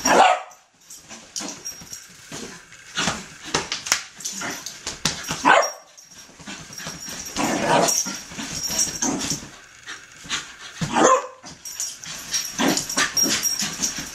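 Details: Poppy, a ten-month-old wheaten and wire fox terrier cross puppy, worked up into zoomies on a bed; scattered high yips and a few loud barks punctuate constant rustling and thumping, people chatting nearby.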